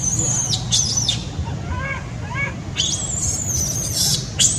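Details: Shrill, piercing screams that slide down in pitch, with a few quieter wavering whines between, come from baby monkey Sweet Pea, who screams loudly when angry at his mother and wanting to nurse; low rumbling noise underneath.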